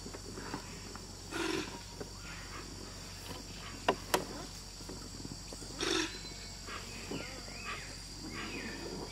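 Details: Giant otters in wetlands of the Añangu Kichwa community territory, Ecuador, where three young were born; two short, harsh, noisy calls about four seconds apart stand out over a steady background hum, with a few sharp clicks between them.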